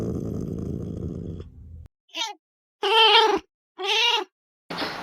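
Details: Pallas's cat filmed in the wilderness. After fading music, it gives three hoarse, nasal yowls about a second apart, each gently arched in pitch, with a brief softer note before them.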